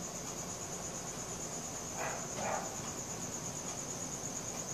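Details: Crickets at night on a Samsung Galaxy S4 recording, a steady thin high trill, with two short barks from a distant dog in quick succession midway.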